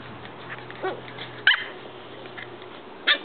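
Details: Corgi puppy playing with another puppy gives two short, sharp, high barks a little over a second apart.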